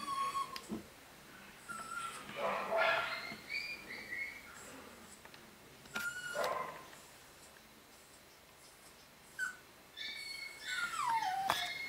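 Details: Home-bred Maltichon baby boy, nine weeks old, from a new pedigree litter; high drawn-out whines that bend and fall in pitch, mixed with brief yips, shuffling and a faint human voice in the room.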